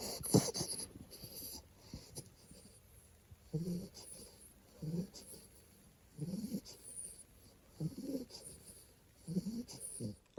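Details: Baby American Bully, two months old, asleep and snoring tenderly: a steady series of wheezy, nasal snores repeating roughly every one and a half seconds, with a brief louder snuffle at the start.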